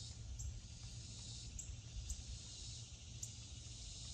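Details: Cicadas sing in summer around a deck on the Fourth of July, a steady, unbroken high-pitched hiss with no pauses, over a low rumble of wind or background noise.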